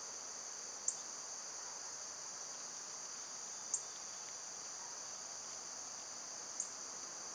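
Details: Summer cicadas in full, even drone, recorded on a quieter day. The shrill, unbroken hum carries on throughout. Three sharp clicks come about every three seconds.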